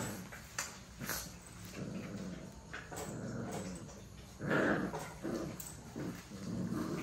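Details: Young puppies tussling in play, growling in gravelly, broken bursts. A louder, fuller growl comes after a quieter start, and the puppies scuffle throughout.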